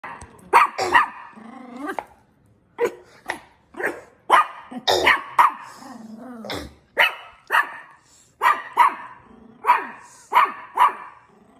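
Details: Dog barking in repeated sharp bursts, single and doubled barks about every half second to a second, with short whining rises between some barks; no other clear sounds.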